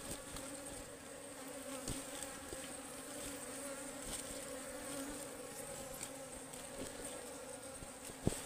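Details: A wild ligwan honeybee colony in a forest during a honey harvest hums in a continuous, even low buzz for the whole stretch, broken by a few faint taps.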